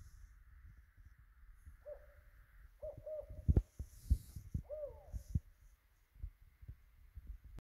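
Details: Male Pacific tree frog inflating his vocal sac to call, Mount Shasta region near Redding, California: scattered brief croaking notes, singles and pairs, with a hooked rise, among soft knocks and rustles.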